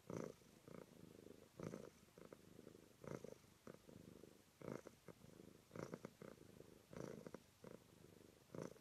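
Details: Cat purring, part of a compilation of purring cats: close, rhythmic purr in bursts of rattling pulses, each surge lasting under a second and recurring about every second or so, in a quiet room.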